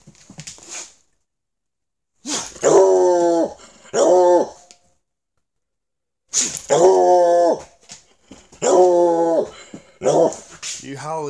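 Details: A male Treeing Walker Coonhound inside an old school bus being converted into a mobile tiny house gives short, tuneful yowling bays with wavering pitch, in two pairs separated by pauses, with a person talking to him between them.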